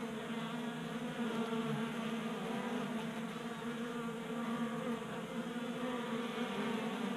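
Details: Honey bees feeding from a 3D printed tray feeder in a Colorado garage in January; dense continuous buzzing of many wings, even and droning, with small swells as individuals fly close.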